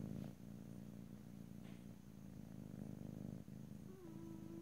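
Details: Cat purring in stereo, ear to ear, with no talking: a dense, low rumble with two brief dips, then a short tonal squeak at the very end, about four seconds in.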